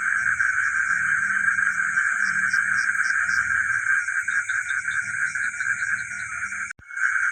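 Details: Village frogs at night keep up a constant massed chorus of rapid croaking, over a high steady buzz and low rumbling pulses, broken by a brief click near the end.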